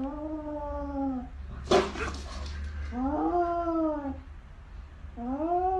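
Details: Cat caterwauling in three long, drawn-out yowls with a rich harmonic tone. The second rises then falls. A sharp thump or rustle comes near the two-second mark, over a steady low hum.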